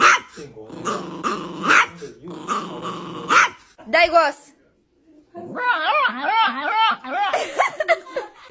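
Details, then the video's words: Pet dog named Momito, with a person talking over the first half; after a pause comes a wavering, warbling run of growly whines and yips. "Funny sounds"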